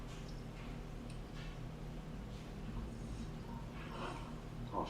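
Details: A male French bulldog, perhaps just waking up, snorts and grunts in low, breathy bursts to get its owner's attention late at night as the owner tries to get to bed.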